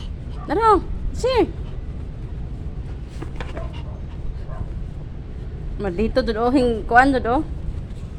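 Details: Lucky, a half Pomeranian dog, playing: two short, sharp, arched yaps early on, then a quick cluster of high barks near the end, with human speech and steady low background rumble throughout.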